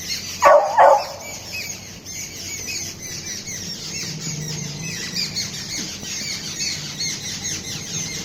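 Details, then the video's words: Waffle, a beagle puppy, calls out indoors to get a cat's attention: two sharp, loud yelping barks in quick succession near the start, followed by a quiet room with faint rustling. "Waffle the Beagle puppy making different noises to gain cat's attention"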